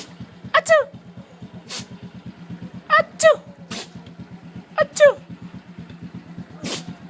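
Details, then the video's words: Neighbour's dog in an excited greeting: three sets of squeaky descending double yelps, each followed by a breathy sneeze burst, all against the constant low chug of an idling engine. "Sneezing Dog"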